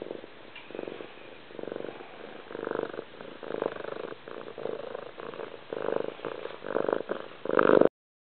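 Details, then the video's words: Cat purring loudly and steadily, a grainy vibrating drone pulsing in rhythm with its breathing, growing stronger toward the end before stopping abruptly. "Kitty Love - Loudest Purr Ever!"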